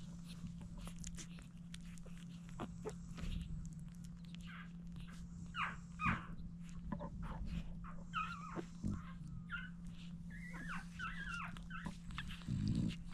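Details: Seven French Bulldog puppies being fed by their mother, indoors: thin, high whimpers and squeaks that bend up and down, scattered and growing more frequent after eight seconds, over soft shuffling and a steady low electrical hum.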